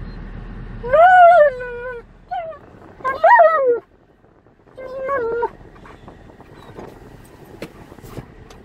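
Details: Alaskan Malamute on a road trip, inside a vehicle: three drawn-out, wavering whining vocalizations with bending pitch, each about a second long, over a steady low rumble of car noise.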